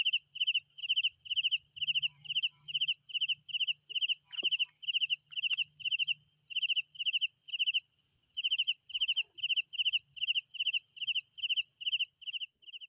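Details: Chorus of night crickets, short buzzy chirps repeating rhythmically over a shrill continuous hum, briefly pausing mid-way before resuming, fading out at the end.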